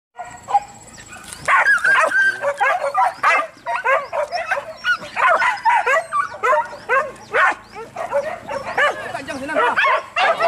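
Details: Several hunting dogs bark during a wild boar hunt: rapid, overlapping yelping barks in a steady excited stream after a quiet start. Men shout commands to the dogs over the pack.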